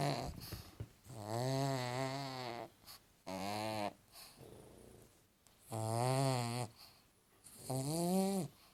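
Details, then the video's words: Pug named Paddy asleep and snoring: four strong droning snores, some long and some short, coming roughly every two seconds with brief snuffling breaths between them, indoors. "Paddy the pug snoring"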